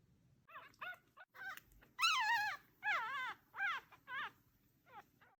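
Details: Newborn red puppy held in a hand, uttering a series of high, wavering whimpers and squeals, each about half a second long, some longer and louder, with brief pauses between, over quiet background.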